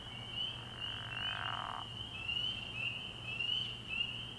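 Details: Early-year night at a frog pond, where a chorus of spring peepers keeps up a shrill, ringing wall of high upslurred peeps; a brief soft rushing sound passes beneath, along with a low steady hum.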